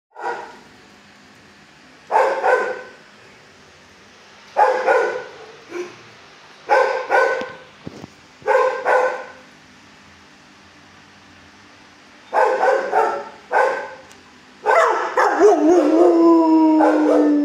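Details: Four-year-old shelter dog in a kennel barking in bursts of two or three hoarse barks every few seconds, about eight bursts, ending in a higher drawn-out whining yelp.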